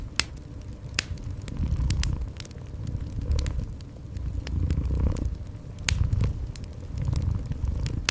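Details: Soft purr of a cat alongside a crackling fire indoors: low pulsing rumbles in steady breath-like waves, interrupted by bright, scattered snaps and pops of burning wood.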